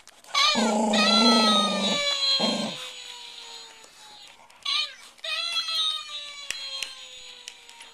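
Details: Indoors, JoJo, a big rescued Welsh Terrier weighing 37 pounds, snarls at a talking Mr. Bill toy. A loud, rough growl of over a second is followed by a short second burst, then the toy's high, sliding 'Oh No!' cries.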